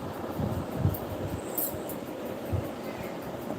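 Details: Low rumbling, vehicle-like background noise with soft thumps and no distinct animal call.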